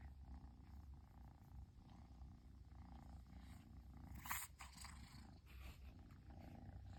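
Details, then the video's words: Persian kitten purring after its owner finally returned home, a continuous low rumbling purr with a brief brighter rustle midway. "飼い主がやっと帰ってきてぐる音が止まらない子猫🐱purling kitty"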